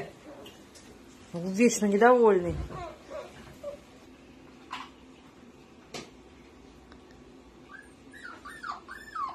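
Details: Dachshund, a pet sausage dog, gives a drawn-out whining howl that rises and then falls over about a second. Fainter squeaky sounds and soft voices follow indoors.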